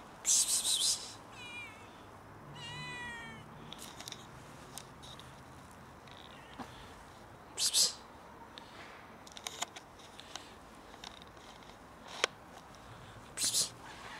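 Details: Cats quarrel over food, giving several sharp, spitting hisses spread across the recording and one wavering, strained meow early on, with small clicks and scuffling sounds in between.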